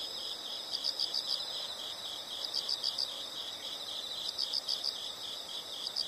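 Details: Fainter insects calling over a hissing background, giving short groups of four or five quick high chirps roughly every one and a half to two seconds.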